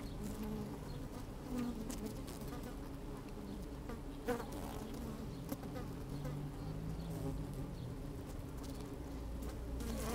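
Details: Honey bees busy at work in an open hive, filmed on a sunny day with a little wind; a thick, low, continuous buzzing drone, faint intermittent clicks, and one sharp tap just after four seconds.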